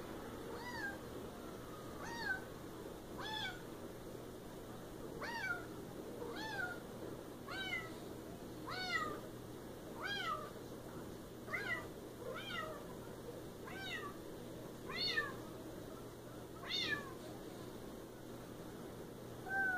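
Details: Siamese cat meowing insistently, roughly a dozen bright, arched meows spaced about one to two seconds apart, each rising sharply then dropping, against a constant low indoor hum.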